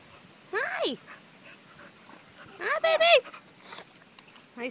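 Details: Five-week-old American Pit Bull Terrier puppies from a litter of five males and one female give high, wavering whimpering cries in three short bursts, the middle one longest, while a woman talks softly to them.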